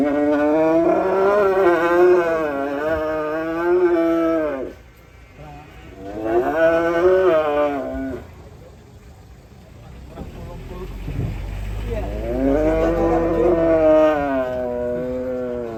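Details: Agitated raging cattle bellowing three long, loud, strongly harmonic moos, each several seconds long with a wavering pitch, separated by short pauses filled with low engine-like rumble.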